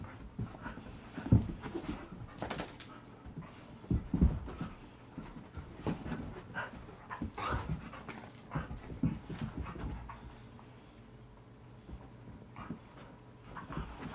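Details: Blaise, a male Rhodesian Ridgeback found wandering at about 9 AM in the Meadowbrooke subdivision, Greenville, South Carolina. He pants steadily in rough, breathy puffs, some louder than others, roughly every few seconds over a faint indoor hum.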